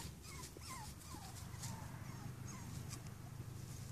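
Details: Cavalier King Charles Spaniel puppies, five weeks old, giving thin falling whines, several quick squeaks in the first three seconds, then quieter, with a constant low rumbling background noise throughout.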